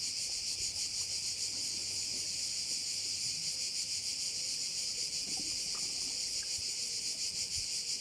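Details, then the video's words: Cricket chorus by a bay on Korčula, Croatia: a shrill high buzz with a fast pulsing shimmer, about three pulses a second, steady throughout, with faint scattered clicks below. "view of one of the bays in Korcula with sounds of crickets"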